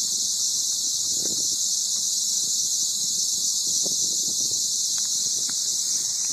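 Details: Cicada song: a steady, unbroken, high-pitched shrill buzz held at constant loudness throughout, with faint scattered low sounds underneath.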